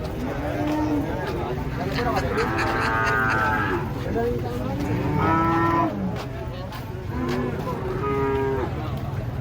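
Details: Giant, fierce cattle being unloaded from a truck in Indonesia, lowing in several drawn-out, harmonic-rich moos spaced a few seconds apart, with a low rumble of engine and handling noise underneath.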